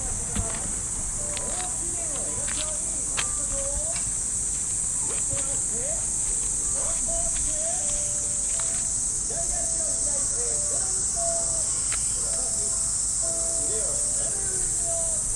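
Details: Cicadas in park trees on an early summer morning in Japan. They make a continuous high, steady hiss with no breaks. Faint radio calisthenics music and voice play in the distance, with scattered footsteps and rustling.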